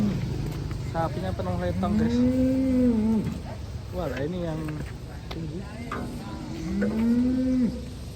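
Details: Cattle being unloaded from a truck in Indonesia; two long, low, rising-then-level moos about five seconds apart, with a man's voice and background music throughout.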